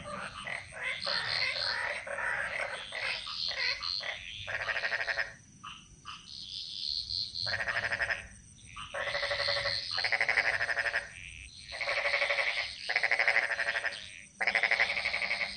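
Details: Jungle frog chorus from Bali: long stretches of overlapping rattling croaks, then separate pulsed bursts of one to two seconds with short quiet gaps between them, plus scattered higher chirps.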